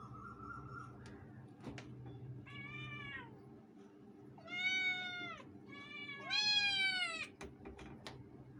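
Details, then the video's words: Two pet cats shouting meow meow: three loud, drawn-out harmonic meows rising then falling, the last two longest and strongest, with clicks and a steady low hum behind. "shouting meow meow"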